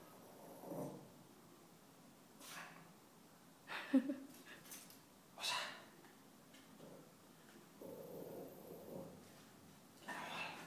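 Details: Female Bichon Frise dog seeing her own reflection in a mirror for the first time, giving a few short, sharp barks spread across the stretch with quiet pauses between, indoors, with faint rustling.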